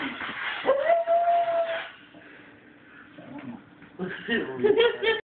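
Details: Pet dog howling to a squeaky toy song: a sustained level howl lasting about a second, a quieter stretch, then squeaky toy notes and a wavering howl at the end.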